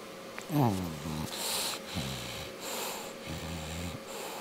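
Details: Sleeping English bulldog snoring, something it often does on weekends: three low, buzzy voiced rumbles alternating with breathy, hissing intakes of air over about four seconds, in a quiet indoor setting.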